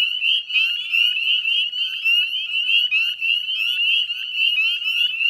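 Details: Dense chorus of Northern Spring Peepers at dusk, 18 May 2020, beside the Chezzetcook salt marsh wetlands in West Chezzetcook, Nova Scotia, Canada: countless high, rising peeps overlapping into a continuous shrill ringing band.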